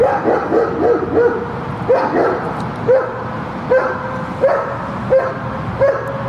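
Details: Shepherd dog during guard training; about ten short, sharp yelping barks with a whiny tonal ring, quick at first then spaced roughly every three-quarters of a second, over a steady low background hum.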